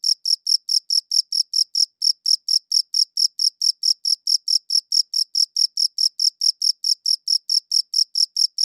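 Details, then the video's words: Crickets chirping, captured on a good audio recorder: steady, high, trilled chirps repeated about twice per second with one brief pause near two seconds, no other sounds. "Cricket Chirping Sounds"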